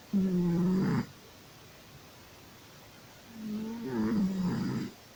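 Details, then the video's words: Sleeping domestic cat snoring: two drawn-out, voiced, rasping snores, the first about one second, the second longer and wavering, separated by a quiet pause. "snoring cat"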